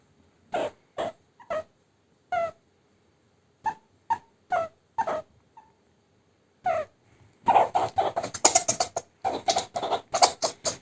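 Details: Pet meerkat being tickled during play, reacting and trying to push the tickling hand away; short squeaky chirps scattered through the first seconds, then a dense burst of rapid, harsher chirping calls toward the end.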